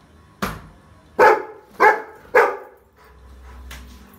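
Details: Rottweiler puppy reacting to a trolley bag with a short run of four punchy barks, spaced roughly half a second apart, then a quieter low rumble.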